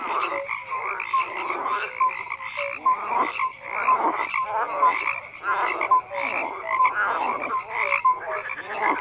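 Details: Frogs croaking in a dense chorus: overlapping raspy, pulsed croaks from many callers, with short tonal notes recurring among them, steady throughout without pause; no other sounds stand out.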